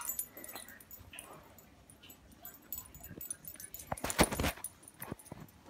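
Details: Walnut, a Yorkshire terrier, gives soft high whimpering sounds early on, then one loud, sharp bark near the four-second mark, followed by quieter yips against a faint indoor background.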